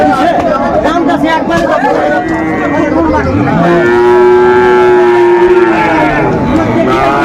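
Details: Sahiwal cattle at a busy cattle market, 20 December 2024: one long, steady, low moo that slides upward at the start, then holds for about two seconds. Men talk and crowd chatter continue throughout.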